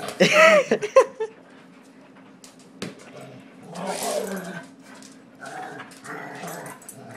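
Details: Irritated dog that dislikes being pushed around opens with a sharp, high yelping bark, then falls back to a low, muttering growl, while a person speaks soothingly nearby.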